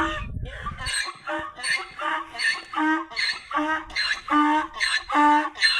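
A donkey brays in a harsh, rhythmic series of rasping hee-haw pulses.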